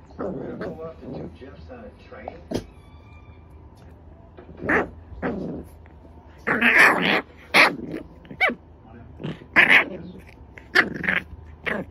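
A French Bulldog puppy whimpers and yips in short, strained bursts while asleep.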